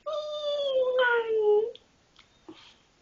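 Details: Pet dog indoors making funny noises when asked to speak: one long, drawn-out tonal moan that slides slowly downward, then breaks into a rougher note before fading, with faint soft sounds after.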